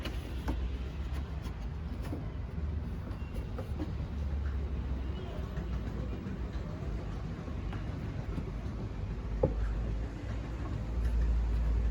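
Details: Steady low rumble of a vehicle or train, with faint scattered clicks and no clear animal voice.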